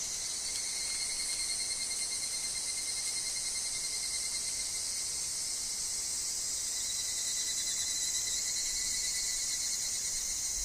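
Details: Higurashi, the evening cicada, singing in a woodland: a dense, steady high-pitched shimmering drone held throughout, with a thin constant tone lower down and no clear breaks.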